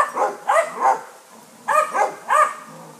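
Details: A neighbour's St Bernard that wants to play visits basset hounds; two quick runs of three short, loud barks each, separated by a brief pause.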